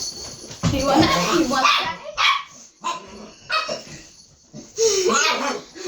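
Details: Dog trading noises with its owner in a mock argument: harmonic yowling barks and yips alternate with human speech, several loud bursts separated by brief pauses.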